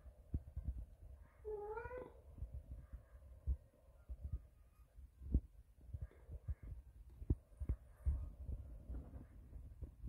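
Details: Neighbour's cat meowing in the background indoors: a single short rising meow near two seconds, followed by faint murmurs under steady low rumble and repeated soft thuds.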